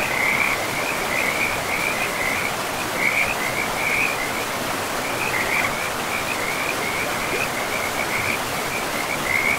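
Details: Frogs by a forest river, calling all through the clip. Short grating croak bursts repeat in quick, uneven succession at a fairly high pitch. Constant broadband water noise from the river sits beneath them.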